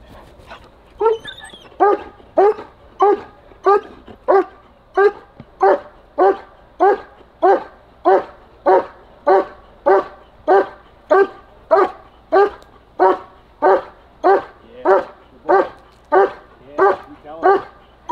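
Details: German Shepherd barking during protection training, with a handler encouraging it: a long, steady series of loud, harsh barks about every 0.6 seconds, some thirty in a row.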